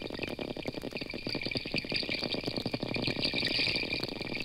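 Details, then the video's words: School of 20 or more wild porpoises swimming freely in the Gulf of Mexico, recorded from a boat, producing rapid trains of clicks over a constant hiss of underwater noise. "are the sounds of a school of 20 or more wild porpoises swimming freely in the Gulf of Mexico in the"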